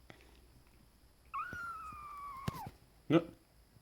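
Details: A pet cat indoors gives one drawn-out meow of about a second and a half, held steady and then dipping at the end, followed by a short knock; quiet human voices in the room.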